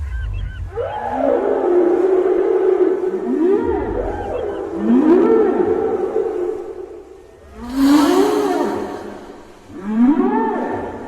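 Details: Whales off the Libyan coast, heard around Zuwaytinah on 19 December at about 3 pm, give long, loud, rising moans that sweep upward and level off, repeated several times.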